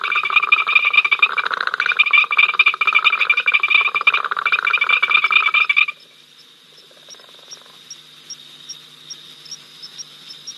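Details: Frogs calling at Ol Donyo on 5 October 2023, picked up by a live wildlife camera: a dense, loud chorus of rapid rattling trills for six seconds, then it suddenly stops, leaving faint scattered clicks and a thin steady high tone.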